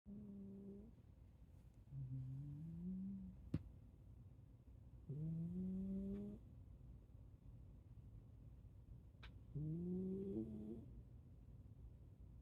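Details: Sleeping Shiba Inu snoring: four drawn-out, rising, tonal snores with a nasal, whining quality, each one to two seconds long and spaced about three seconds apart, with a faint click in a quiet indoor setting.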